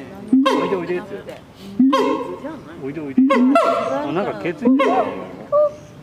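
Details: Siamang (Symphalangus syndactylus), call.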